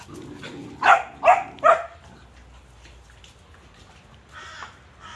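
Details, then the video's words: Playing Cane Corso puppies give three quick, evenly spaced barks about half a second apart, then near silence with a faint later yip. "Puppies are playing. Cane-corso"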